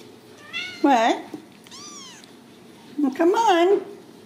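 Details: Ragdoll kittens raised indoors at a home cattery in central Kansas, without cages: two drawn-out, wavering meows with a fainter rising-and-falling mew between them, while a person talks nearby in a small room.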